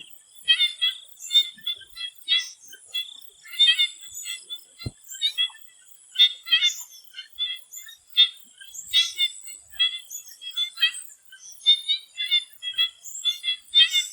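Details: Frogs in a swamp in Thailand before sunset keep up dense, rattling pulse trains from several animals at once. A continuous high shrill background drones throughout, and one sharp click cuts through near five seconds.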